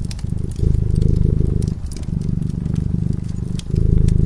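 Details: Sleeping cat by a cozy fireside gives a steady, low, vibrating purr. Two long rumbling phases are split by a brief dip, and bright crackling from the burning fire sounds over it.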